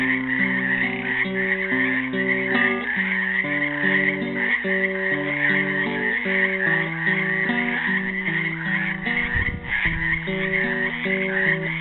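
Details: A frog chorus from a pool in Helix, Oregon, recorded on Earth Day 2016 where the frogs were trapped: continuous overlapping rattling croaks form a steady high band beneath a classical guitar tune played alongside.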